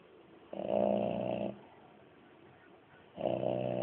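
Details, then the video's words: Moby, a French Bulldog, snoring: a loud, buzzy, rumbling snore lasting about a second, a quiet breath pause, then the next snore beginning. "french bulldog snoring"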